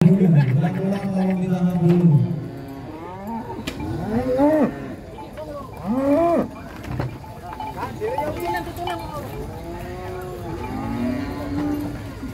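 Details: . Giant cows being unloaded from a truck into a pen in Indonesia: a deep, drawn-out moo opens, followed by several higher arched moos with clear harmonics, other cattle calling in between, and faint voices and background music.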